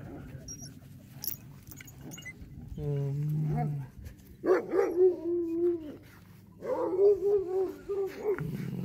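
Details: Greeting a visitor in Alaska, sociable sled dogs such as Pantera and Def Leppard give long, sliding, tonal whines in two stretches, with a low hum and a person talking in between.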